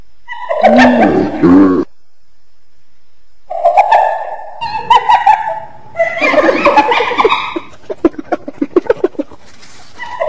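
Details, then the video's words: A hyena utters warbling, laugh-like cackles in three bouts split by silent gaps. The last bout breaks into quick, evenly spaced staccato pulses. "Ternyata Seperti ini Suara HYENA"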